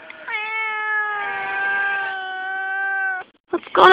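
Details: Female barn cat on a farm, friendly and fed, called the whiny cat, meowing in conversation with a person: one long drawn-out harmonic meow holding steady for about three seconds, then a short rustle.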